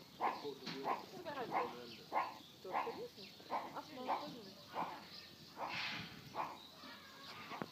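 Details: A meerkat at a zoo at Easter 2013 gives short, nasal chirping calls, repeated in quick bursts under a second apart.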